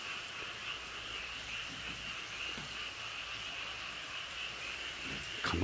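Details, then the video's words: Chorus of frog families at Cheonjinam valley, Toechon: continuous overlapping high-pitched trills hold steady throughout, softer than the low rumble below, and a sudden loud knock of handling noise ends the recording. "개구리 가족들 합창소리"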